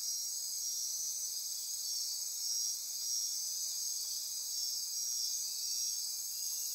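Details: Dense nocturnal insect chorus in Costa Rican rainforest near Corcovado National Park, Osa Peninsula, at midnight: continuous high-pitched trilling and buzzing layers, steady and unbroken, with a faint pulsing band beneath.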